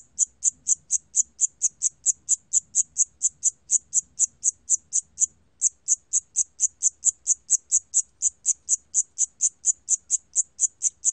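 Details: Chirps of a Siamese cricket, from the National Institute of Biological Resources, 2020: rapid regular high pulses at about four per second, briefly pausing midway before the steady chirping resumes; soft low-frequency murmur underneath.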